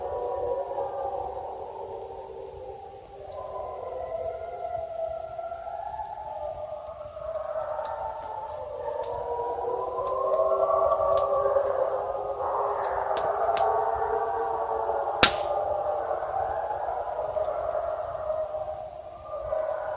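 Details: In snowy winter backwoods of Killarney, Ontario, several wolves howl together very close to a trail camera, in long, wavering, overlapping tones that rise and fall. Gray wolf.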